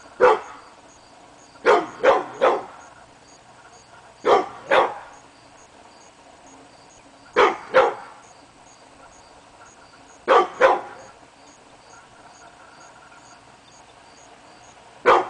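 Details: Hemi Bleu, a pit bull, barks at nothing on an August 2012 morning, wanting to be noticed: short bursts of two or three sharp barks separated by pauses of two to three seconds, repeated through the stretch.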